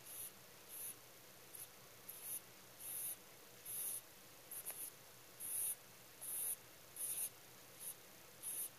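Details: A pet rabbit in deep sleep snores with soft, hissing breaths described as 'su-pii', repeated in a steady rhythm more than once a second, each one a brief airy puff in a quiet room.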